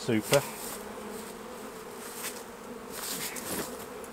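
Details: Honey bees around the hives while honey is being taken off during a harvest: a steady, low droning hum running throughout, after a brief burst of human voice at the very start.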